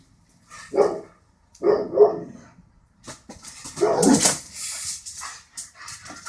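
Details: Border Collie, said to dislike birds, giving short harmonic barks or whines in three bursts, the last louder and harsher with a bright noisy edge, separated by quiet gaps.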